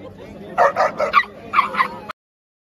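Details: Shih tzu and Chow Chow dogs squaring off: five quick yapping barks in two short groups, ending abruptly in silence.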